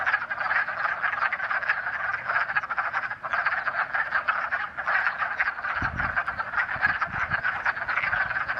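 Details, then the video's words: Pickerel frogs at a pond in early spring give a steady, low, snoring, creaking drone of rapid pulses, likened to a creaking door or a growl, overlapping into a continuous chorus. Soft handling thumps come near the end. "Plus a mystery sound like creaking door or a growl. Spoiler alert: it's Pickerel Frogs!"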